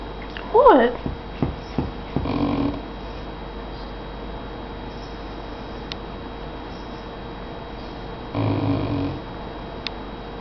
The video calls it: English Mastiff puppy randomly growling